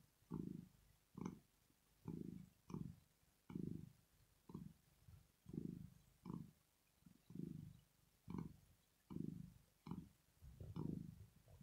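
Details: Asleep and relaxed, the female cat Rosetta keeps up a long purr: rhythmic low rumbles rising and falling with every breath, roughly fourteen cycles at an even pace, with nothing else heard.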